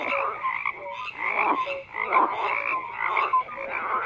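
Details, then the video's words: Overlapping frog croaks, raspy pulsed calls swelling and fading about every second, with short clear notes dotted between them in a thick chorus. "FROGS CROAKING"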